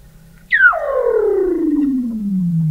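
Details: Weddell seal under sea ice in McMurdo Sound, Antarctica, recorded November 2017 at an underwater observatory; one loud, pure whistle drops sharply, then glides slowly lower for two seconds.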